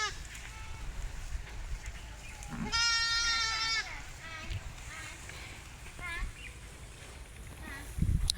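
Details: Garole sheep eating, a clear harmonic bleat lasting about a second, then several shorter wavering bleats, with a person talking nearby.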